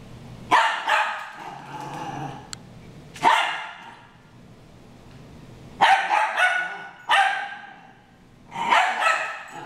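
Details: Harry and Ferris, two dogs, in a brawl: loud harsh barks in separate bursts a few seconds apart, with quieter growling between them.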